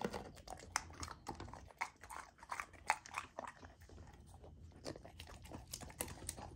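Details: Female Golden Retriever puppy on a raw food diet chewing frozen food; uneven sequence of crisp bites and wet smacks, some louder snaps scattered among softer chewing.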